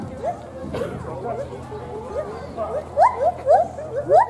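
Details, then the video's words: Lar gibbons at Blank Park Zoo in Des Moines singing their duet and responding to children singing back; rising whooping notes quicken and climb in pitch toward the end, over background chatter from people. "BPZ Gibbons duet"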